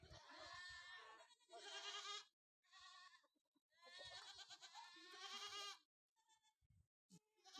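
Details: Sojat breed bucks on a farm in Sakri taluka, Dhule district, Maharashtra, raised for Eid; loud, quavering, nasal bleats in long overlapping bursts, several in a row, with short silences between them.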